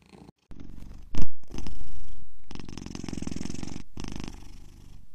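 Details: Close, very loud happy cat purr, a dense buzzing low rumble broken by brief dropouts and a sharp handling bump near the start.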